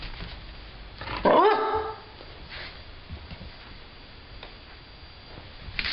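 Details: Stella, a pet dog, barking at nothing: a single loud bark with a rising, harmonic tone, then near quiet with faint background shuffling.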